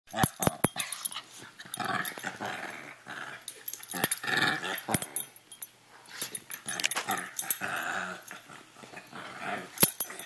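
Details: Two puppies, Chewy and Sarge, playing together indoors in a small room; bursts of rough growling and harmonic whines come in short irregular spurts, mixed with scuffling and sharp clicking knocks.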